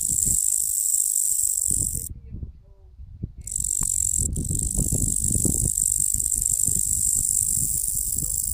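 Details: Locusts heard as a steady, high, hissing buzz that runs almost without a break. It cuts out for about a second, and low rumbling noise sits beneath it.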